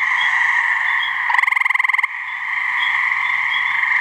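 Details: A gray treefrog gives one mating trill in a New Hampshire swamp: about twenty fast, even pulses over under a second, loud and rattling, standing out from a constant high droning chorus behind.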